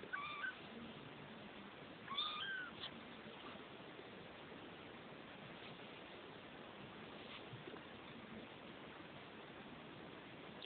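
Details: Two-week-old Neva Masquerade kittens in a Czech cattery litter mew in a quick cluster of high, thin squeaks near the start, then fall quiet over a faint steady hiss.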